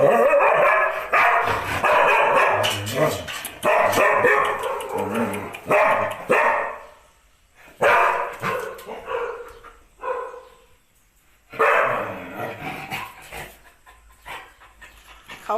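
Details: Thai Ridgeback dog, red colouring, possessive of its owner and barking so other dogs cannot come near her; a run of harsh, rapid barks in bursts with short pauses, several separate volleys.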